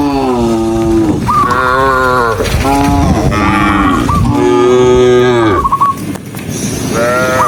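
Several cows moo over one another, their long, droning calls overlapping in a continuous chorus.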